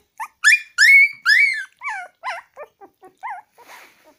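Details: A puppy eating egg yolk gives a quick run of about a dozen high whimpers and yelps, the first few loud and sliding upward then falling, the later ones shorter, wavering and fading away.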